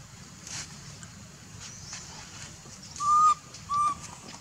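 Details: Baby monkey calling its mother for milk: two clear, steady whistled coos, the second shorter, about half a second apart near the end, over a soft outdoor background with faint clicks.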